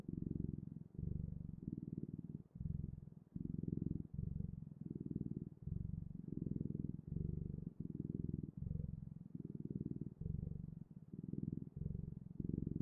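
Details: A cat purrs steadily, a soft throbbing drone in repeated short bursts with quick gaps between them, even in loudness throughout.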